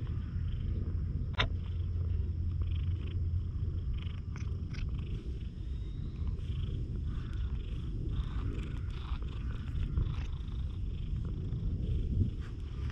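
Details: Friendly one-eyed stray cat purring, a steady low rumble throughout with a faint high tone above and occasional clicks.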